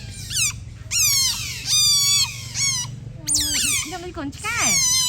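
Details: Several otters resting in the sun and playing with each other let out loud, ringing squeals, each a sharp downward glide, repeated in quick bursts with brief gaps, some held as level whines.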